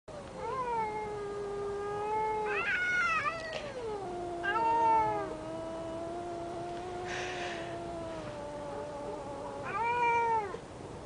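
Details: Domestic cat growling angrily at a neighbour's cat: long, drawn-out moaning yowls that waver slowly in pitch, swelling louder at the start, near the middle and again toward the end, with no other clear sounds.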